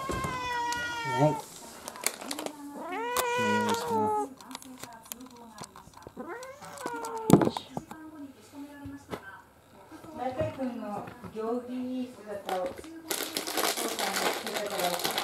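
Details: Male orange-and-white rescued cat loudly demanding attention indoors before dinner while an older female American Shorthair waits; a series of drawn-out meows with rising then falling arcs comes every second or two, with a person talking and a noisy rustle at the end.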